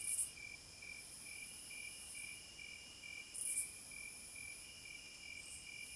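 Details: Cicadas calling in nature: dense high-pitched buzzing drones on with two sharp louder bursts, one at the start and one past halfway, above a constant, evenly spaced lower chirping pulse.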